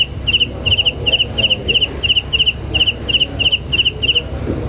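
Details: Rhythmic cricket chirps, each a fast burst of high pulses, repeating regularly before stopping just before the end, with low rumbling background noise throughout.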